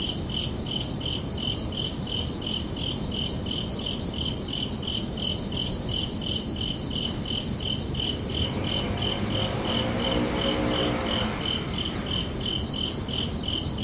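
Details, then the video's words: Crickets chirping at night on a summer evening: a steady, high-pitched pulsed chirp repeated about three times per second, over a soft low rumbling background with faint broader noise midway. "Calming Cricket Sounds for Relaxation"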